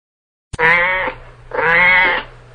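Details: Cat giving two loud, drawn-out, richly harmonic meows, each lasting about half a second and spaced about a second apart, over a faint steady low hum.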